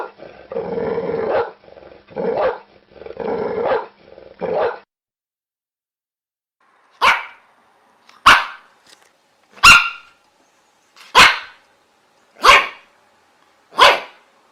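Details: Dog barking: four rough, growly barks in quick succession, then a pause, followed by six short, sharp, clean barks spaced about one and a half seconds apart.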